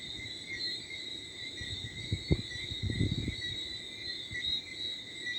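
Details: Crickets chirping in a steady high-pitched chorus before dawn, at 4 a.m. in the Martinique countryside on 11 December 2023, with low rumbling gusts of light wind and some thumps partly masking the insects.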